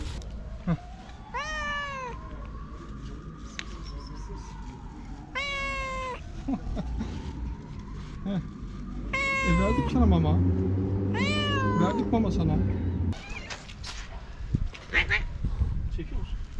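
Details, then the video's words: Hungry feral cats and kittens on a sidewalk meowing loudly for food: several drawn-out, wavering harmonic meows, some rising then falling, overlapping one another, with a man speaking Turkish to the cats and street noise throughout. "Many Hungry Cats And Kittens Meowing Loudly"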